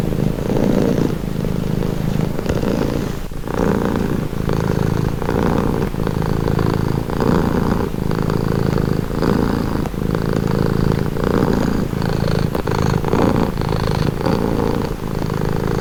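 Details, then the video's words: Domestic cat purring steadily, a low continuous rumble with rhythmic pulses rising and falling about once per second as the cat breathes in and out, offered as a calming, relaxing sound. "Purring cat | Calming Relaxing Nature Sound"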